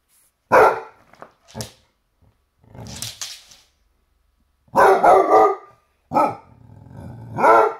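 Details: Basset Hound confronting a toy T-Rex with irregular, deep, gravelly barks, some single and some in rough bursts of two or three, mixed with lower growling between them.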